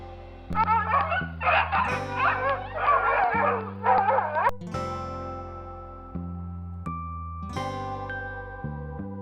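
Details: Dog barking in a rapid run of short, sharp barks for about four seconds over background music, after which only the music continues.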